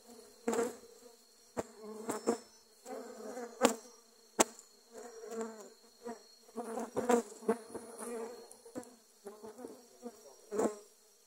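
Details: Dwarf honey bees swarming and attacking during grass cutting, covering the camera: a steady low droning buzz throughout, with frequent sharp crackling bursts and louder swells as bees pass close.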